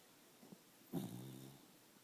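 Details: Indoor dog snoring: one low, rumbling snore swells in just before the first second and fades over about half a second, framed by faint, softer breaths in a quiet room.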